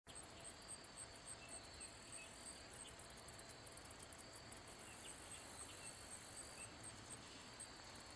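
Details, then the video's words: Handsome meadow katydid, Orchelimum pulchellum, singing by rubbing its wings: a steady high buzzing hiss with faint rapid ticking pulses in repeated bursts, over constant low background noise. "Katydid making noise / sound / chirping | Handsome meadow"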